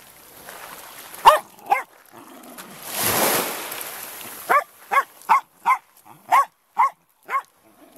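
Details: Benson, a wire-haired Jack Russell terrier, barks at the incoming tide on the beach at Lydstep near Tenby, Pembrokeshire, Wales; two yaps, a wave's rush, then a run of seven sharp barks spaced about half a second apart.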